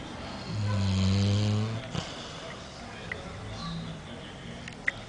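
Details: Yanka, a dog, snoring: one long low rumbling snore with a buzzy, layered tone lasting over a second, followed by quieter breathing and faint background sounds.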